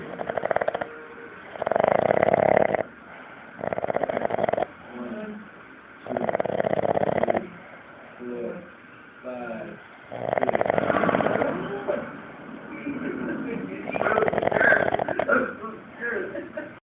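A Boston Terrier snores in loud, rasping bursts, with softer snuffling breaths in between.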